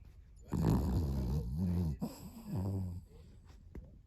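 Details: Sleeping Pomeranian-Chihuahua mix snoring: two long, low, rumbling breaths with a rasping, nasal texture, each lasting about a second and a half, separated by a short pause.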